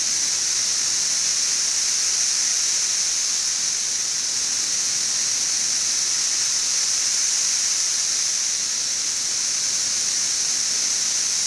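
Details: Seventeen-year cicadas of brood XIV, on the west side of Frankfort, Kentucky, two weeks after their mass emergence, June 2008: an even, relentless high hissing wall of sound, constant in loudness and quieter than earlier.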